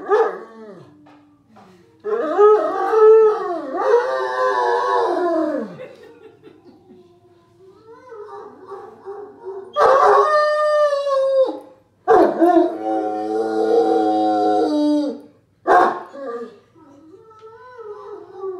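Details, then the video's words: A Great Dane howls in long, wavering tones that rise and fall, with rich harmonics, as he howls along to a video of himself howling on TV. "Great Dane howls to video of himself howling on TV"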